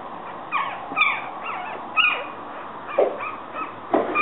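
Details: Yorkshire Terrier puppies calling with high, thin whimpers and squeaks, short rising and falling whines repeated about once a second, several voices overlapping.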